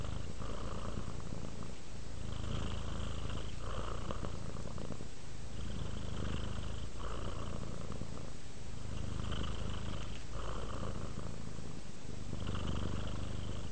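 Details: Relaxed, dozing pet cat with a sustained low-pitched purr, alternating slightly louder and softer phases with each breath, regular breaks at intervals of about one and a half seconds.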